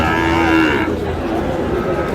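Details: Sahiwal bull calf at a livestock market in Chattogram, Bangladesh, on 7 June, giving a short, flat, tonal low moo lasting under a second before busy market chatter and background noise take over.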